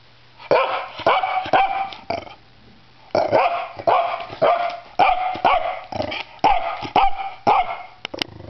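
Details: A small Pembroke Welsh Corgi that loves tugging his rope barks on cue to speak: sharp, harsh barks in quick pairs and triplets, about two per second, with brief pauses between bursts.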